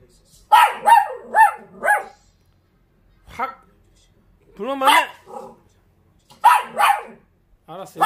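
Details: Short-legged Dachshund talking back to a man in a lively exchange: rapid barks mixed with wavering, whining, almost vocal yowls, in uneven bursts separated by brief pauses.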